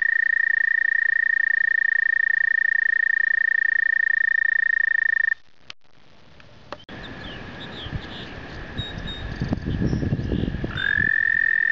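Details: American toads singing in spring during their breeding migration: a loud, steady, musical trill holds one pitch for about five seconds, then breaks off into a short gap with rustling and handling noise, before another trill starts near the end.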